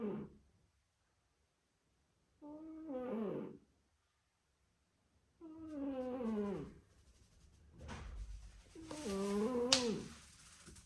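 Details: Sleeping cat snoring indoors: drawn-out breaths with harmonic, wavering tones that slide downward, arriving in separate bouts of about one to two seconds with quiet pauses between them.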